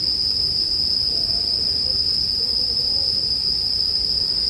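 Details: Bell crickets keep up a seamless high ringing in sleep music set beside a bonfire. Faint, low, wavering tones drift in the background while the insect note stays level and unbroken.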